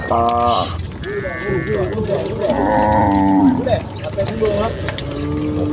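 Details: Village cows and calves walking back to their barn as a herd call over one another in overlapping moos: low, wavering, drawn-out lows, followed by a long, steady, softer moo at the end.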